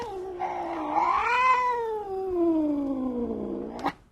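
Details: Domestic cat giving one long drawn-out meow lasting about four seconds, rising then slowly falling in pitch with rich harmonics, ending in a brief click; quiet room background.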